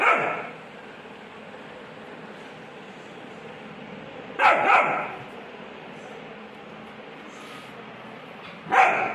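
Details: Rottweiler puppy barking at a bucket during a play experiment: three sharp single barks spaced about four seconds apart, with quiet room noise between them.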